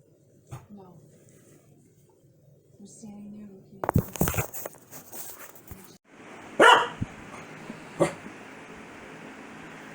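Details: Pet Corgi barking angrily at its owner's sneezing: a few short, sharp harmonic barks after broadband sneeze-like bursts, with people talking softly beforehand in a quiet room.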